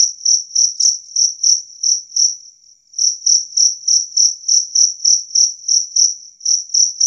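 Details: Loud, clear chirping of a two-spotted cricket: sharp, high, ringing pulses about three a second, briefly faltering and pausing near the third second, then resuming the same even rhythm.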